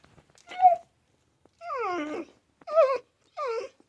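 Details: A pet dog, presented as a talking dog that says animal names, gives four drawn-out, whining howl-like vocalizations with wavering, sliding pitch. The second is the longest and falls steadily. Each is separated by brief silence in a quiet indoor room.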